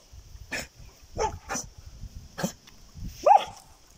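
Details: German Jagdterrier giving short sharp barks, several in four seconds, the last with a brief rising yelp, over a steady high hum in the background.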